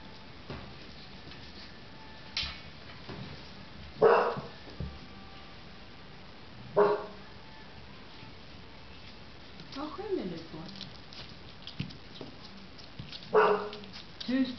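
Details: Puppies giving short, sharp barks and yips at irregular intervals a few seconds apart, with a steady low background hum between them.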